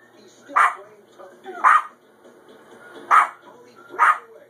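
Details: A Maltese dog gives four sharp, high barks spaced about a second apart, barking at dogs she sees and hears on TV during "Puppy Bowl".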